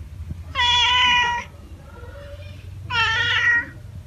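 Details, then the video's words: A cat gives two drawn-out meows, each nearly a second long, bright and nasal with steady pitch, separated by a quiet gap with faint low background hum. "Tiếng mèo kêu || The sound and picture of the Cat"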